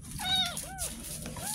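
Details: Ten-day-old kitten, found in a roadside drain, mewing during its first bath: a few high, arched mews rising and falling in quick succession, with faint rustling and splashing underneath.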